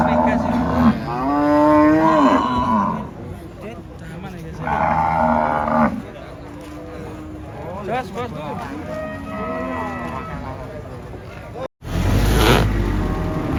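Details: Cattle unloaded from a truck: loud, strained moos. One wavering call swells over two seconds, a second bellow follows, then softer lowing, with a sudden break near the end and engine hum throughout.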